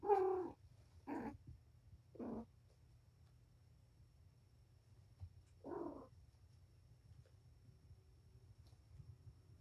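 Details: Patience, a mother cat surrendered to Purrfect Pals, in a wound-up playtime with her five kittens indoors, dated 7-25; four short, clipped meows spaced unevenly over several seconds, with a low steady room hum underneath.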